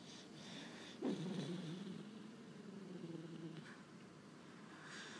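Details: A Corgi sleeping deeply with twitching legs, giving one drawn-out, low, groaning snore of about two and a half seconds in a quiet indoor room, with faint soft breathing noise before and after.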